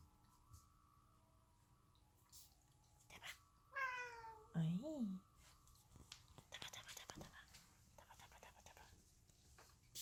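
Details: Domestic cat playing with cat toys (fluttering butterfly, cat tunnel, cat track toy): two short meows around the middle, the first falling in pitch, the second wavering, followed by light clicks and rattles from the toys.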